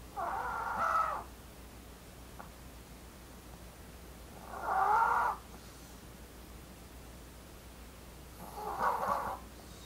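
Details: Blue, a female Maltese born 4 August 2018, daughter of the Maltese pair Jamong and Fanta, snoring: three soft, nasal, humming snores, each about a second long and spaced roughly four seconds apart, with quiet breathing gaps between.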